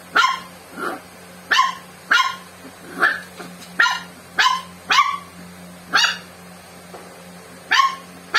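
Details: A dog named Joey, living with swimmer syndrome, barking at Coke indoors: loud, sharp barks spaced irregularly, some paired, with softer yips between, over about eight seconds.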